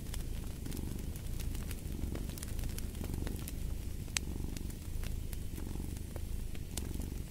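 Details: Low, continuous purr of a cat, its deep rumble pulsing in about one-second swells, while a fire crackles and snaps throughout.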